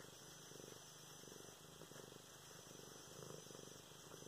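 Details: Pet cat Luna purring while being stroked, filmed November 24, 2016; rhythmic low rumble with regular breath pulses about once a second, close and steady.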